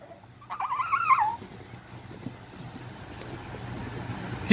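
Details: A pet Shih Tzu, one of a mother and her puppies kept indoors, lets out a short whine under a second long that wavers up and down, then fades into quiet room noise.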